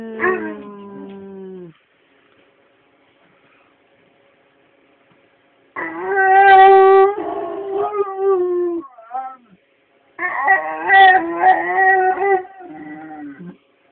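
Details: A one-year-old Labrador, Collie and Husky mix dog howling in long, wavering, tonal bursts, a falling howl at the start, then two sustained howls with pitch wobbles and yips, separated by several seconds of silence.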